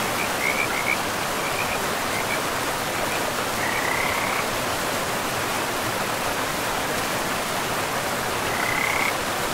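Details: Frogs beside a river in a pristine forest with moss-covered land, giving short, high, pulsed trills in separate bursts over a steady rush of flowing water.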